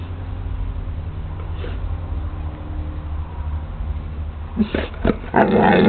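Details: Young Pit Bull kept indoors, trying to 'talk' to its owner, gives a short burst of moaning, harmonic vocal sounds near the end, after several seconds of steady low background noise.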